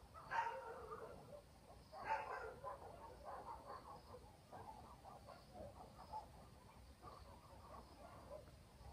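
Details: Village dogs at night in the countryside: two distinct distant barks near the start, then fainter scattered yaps trailing off, with a quiet, even background hiss and a thin high drone.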